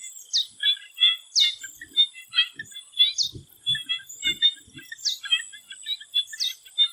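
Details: Frogs in a swamp in Thailand near sunset: five bright falling notes spaced one to two seconds apart sit above a rapid patter of short chirps. Soft low thumps are heard mid-clip, with a continuous high whine behind.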